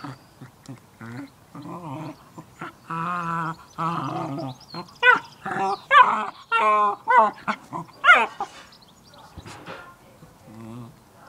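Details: Cairn Terrier playing with a new toy: soft grumbling growls build into a string of sharper, rising whines and yelps about one per second, then fade into quiet snuffling.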